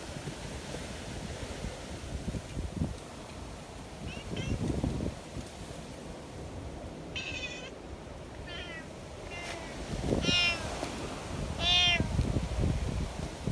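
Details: Community cats in the mountains during a violent wind storm meow several times, with short, rising-then-falling mews spaced a second or two apart, against a constant roar of gusting wind.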